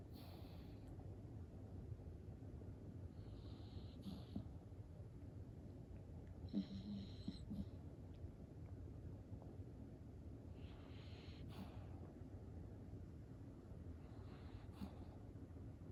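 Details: Sleeping cream poodle puppy, snoring: a continuous low rumble with breathy, hissing inhalations about every three to four seconds and one slightly louder snort midway.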